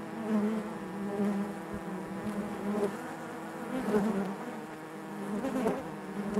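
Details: Steady, even humming of honey bees within their hive, a deep sustained drone with faint shifting upper harmonics and small swells of volume.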